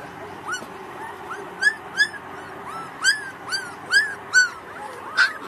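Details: One-month-old Pakistani Bully Kutta pups, Indian bloodline, whimper. Each note is a high, thin, arching whine with bright overtones. About ten notes come in irregular spacing and grow louder toward the end, over a quiet low background hum.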